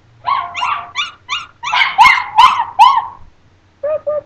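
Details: Chinese Crested dogs, two pets aged two and three, howling: a series of short rising yelps building into louder wavering howl notes, a brief pause, then a final steady whine.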